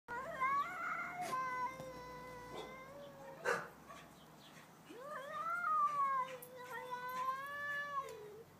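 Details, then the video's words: Two domestic cats, a pet and the neighbour's cat, in a night-time stand-off, trading long wavering yowls that rise and fall, overlapping drawn-out howls with a sharp thump midway and quieter gaps between bouts. "2 cats singing/talking!"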